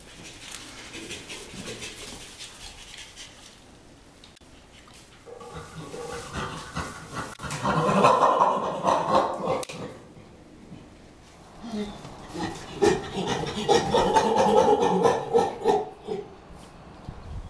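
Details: Rescued chimpanzees at Chimpanzee Sanctuary Northwest greeting, giving rhythmic breathy pant calls that build into two loud bursts, around 8 and 14 seconds, with rustling between.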